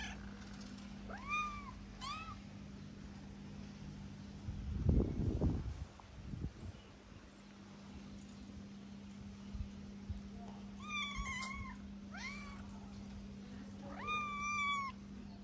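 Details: Loud hungry meows from a skinny Moroccan stray calico: curved harmonic cries in pairs near the start, a rustling thump midway, then clustered rising-falling meows near the end above a steady low hum.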